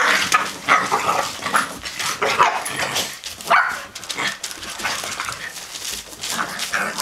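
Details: Romping session of a blue nose pit bull mother, Lola, with her puppies aged 10 weeks, plus Chihuahua Pacino; scattered yelps and small barks rise above continuous scrabbling noise, with a few brief whimper-like tones.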